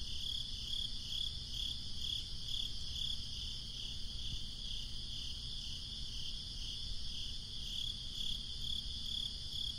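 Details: A breezy summer night with crickets trilling in high, evenly pulsed chirps, a little over two per second, fading and returning, above a constant low wind rumble.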